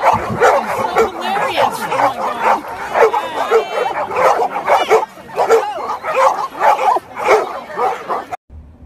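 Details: Golden Retriever barking repeatedly and excitedly, a steady stream of loud clipped barks about two per second for eight seconds, overlapping human chatter, ending abruptly.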